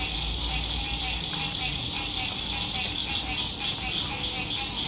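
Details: At sunset on a lake in spring 2021, from a lakeside RV campsite, a massed frog chorus gives a constant high, rapidly pulsed trill, with faint low road rumble and a few brief clicks.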